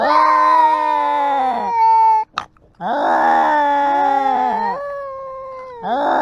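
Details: Cats expressing emotion through meowing and screaming, recorded live: long, drawn-out harmonic meows that hold steady then bend downward, a short break with a faint noise, then another sustained, wavering yowl and the start of a third.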